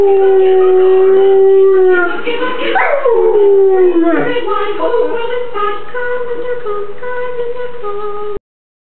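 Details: Dog singing along to Christmas music with a long steady howl that breaks into sliding, wavering notes midway, then settles into a lower sustained wail before stopping abruptly.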